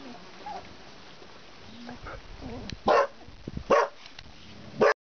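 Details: Border Collie puppies, 19 days old, Bajo Aragon: after a quiet stretch of soft low murmurs, three short, sharp, loud yelps burst out, the last cut off abruptly at the end.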